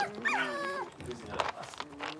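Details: Six-week-old Blenheim Cavalier King Charles Spaniel puppy, one of a litter of five raised in a home puppy pen, giving a drawn-out high whine that bends and falls, followed by softer rustling and a brief human voice.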